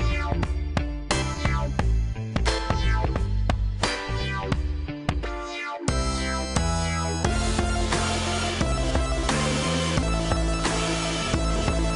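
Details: Loud electronic dance music with heavy bass beats and dense synth layers fills the whole stretch, with no animal voice audible.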